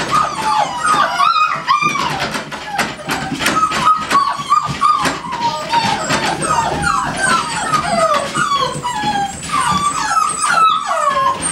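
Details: Several American Staffordshire Terriers at GaidJewel's kennel, a breeding kennel, make a dense chorus of high, overlapping whines and yelps with falling and wavering pitch, almost without pause for about eleven seconds.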